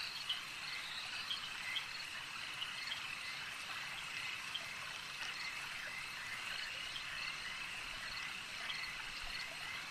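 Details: Frogs at a lake keep up an unbroken high-pitched croaking chorus, with a few louder individual calls popping out now and then over a soft trickling, watery background.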